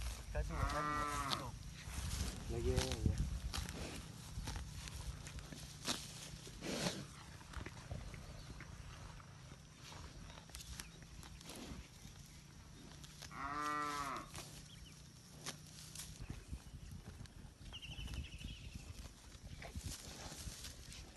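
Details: Crowd of village cattle roaming free and grazing in a green rice field; a long, deep moo near the start and another about thirteen seconds in, with shorter lowing, a person talking and steady outdoor background noise.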